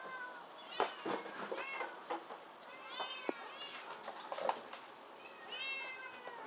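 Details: Several rescued kittens crowd together at an Otsuka, Tokyo shelter café. High, overlapping meows rise and fall from different callers, mixed with knocks, scrabbling and faint voices in a room.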